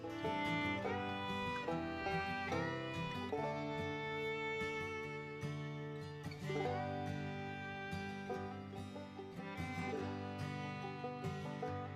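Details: Lively bluegrass-style tune with fiddle and plucked guitar playing throughout, with no animal sound audible.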